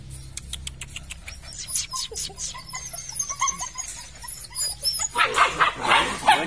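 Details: Red-and-black Belgian Malinois puppies from a weaned litter, three pups: soft tapping and rustling first, then a burst of shrill, overlapping yelps and whines in the last seconds.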